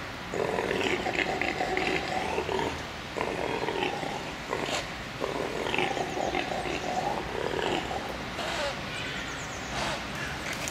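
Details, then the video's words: Roaring impala buck held in a zoo, calling in a steady series of rough, grunting bouts about a second long, separated by brief pauses, with a constant background hiss. "Impala röhrt"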